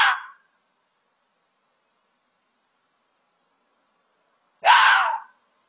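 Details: Red fox letting out harsh rasping screams, one cut off at the start and another about four seconds later, each a short hoarse burst of around half a second with silence between.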